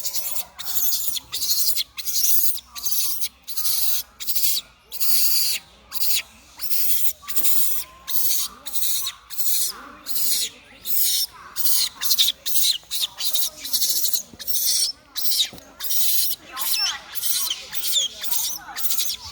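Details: Baby monkey crying loudly beside its brother as they try to find their lost mother; harsh, hissing screams in quick bursts, roughly one every three-quarters of a second, with brief gaps throughout.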